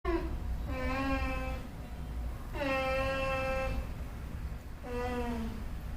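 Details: A dog makes three drawn-out, tonal moaning whines, each about a second long and sliding slightly downward, the weird annoyed noise it makes whenever it is tied up.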